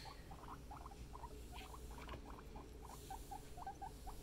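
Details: Pet guinea pig family, indoors: a steady run of short, clipped squeaks, mid-pitched and sharp, repeating about every quarter second over a low, constant household hum.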